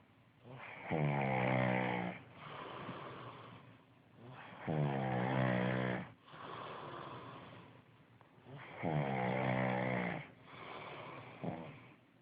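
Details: Snores of the pug Tommy Tantrum: three loud rasping inhalations spaced about four seconds apart, each with a short snorting exhale afterwards, in a quiet room.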